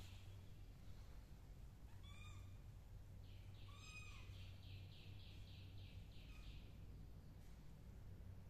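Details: Sleepy black kittens resting in sand and cotton pots give two short, high meows that arch up and fall, about two seconds apart. A rapid run of faint chirps follows over a steady low hum.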